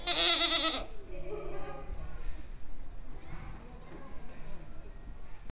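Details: Goat, dated 23.03.30, giving one loud, wavering, nasal bleat lasting under a second at the start, followed by quieter murmuring sounds and human voices in the background.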